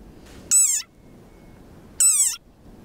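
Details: War cry of a very angry desert rain frog, described as ferocious: two high, squeaky, toy-like cries about one and a half seconds apart, each harmonic-rich and sliding downward at the end.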